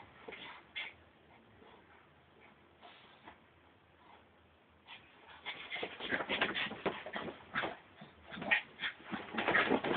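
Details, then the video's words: Brussels Griffon named Frankie behaving wildly; about five seconds of quiet scuffling, then a dense burst of whining yips and squeaky whimpers that grows louder toward the end. "frankie the brussels griffon is wild"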